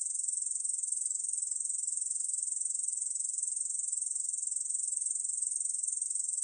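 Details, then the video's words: Korean bush cricket producing a sustained, high, rasping trill with a fine rapid pulse and constant volume. Heard alone against silence. "중베짱이, 여러번 듣기, 곤충소리"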